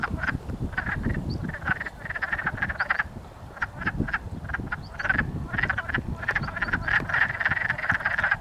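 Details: Many wood frogs in a breeding pond near a house in Blackfalds, Alberta, chasing and mating; raspy, clucking croaks pour out in overlapping bursts, thinning briefly then swelling again.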